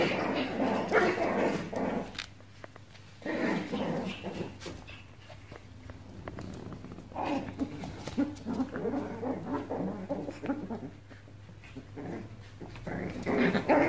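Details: Playing Pomeranian puppies indoors: rough little growls and whining yips in clustered bursts, busy and overlapping, with quieter gaps between, and a constant low electrical hum behind.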